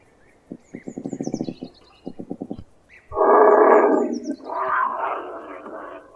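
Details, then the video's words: Cougar (puma) sounds: two bursts of rapid, pulsed rattling growls, then a loud, harsh hissing snarl and a longer raspy growl. Faint high bird chirps are in the background. "SONIDO DE PUMA"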